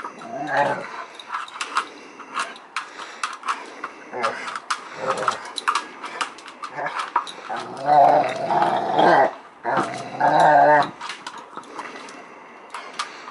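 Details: Two-year-old Rottweiler service dog Amorè talks to her Varsity ball during play, giving short grumbling growls that swell into two longer rumbling bursts near the end, with a human voice and clattering play noises between them.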